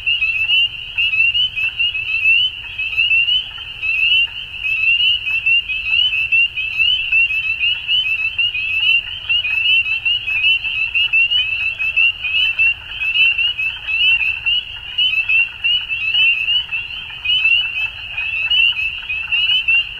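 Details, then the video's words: Frogs at dusk in full chorus: a steady shrill trilling from many callers, pulsing roughly seventy times a minute, with a low soft rumble in the background. "Frogs At Dusk"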